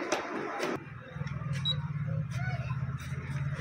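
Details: A brief burst of speech gives way to a steady low mechanical hum with light ticking in a small room.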